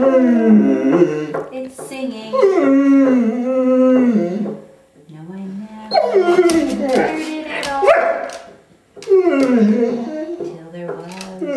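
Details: Female Curly-Coated Retriever, ten years old, singing her favorite song "Till There Was You" with her owner at night; drawn-out, bending howls in several phrases with short gaps, mixed with a person's steady low singing.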